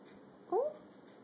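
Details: A new pet kitten named Pumpkin, indoors, enjoying kitten milk while Roxy the dog watches, gives one short, high, rising-then-falling mew with a faint overtone, standing alone against quiet room hum.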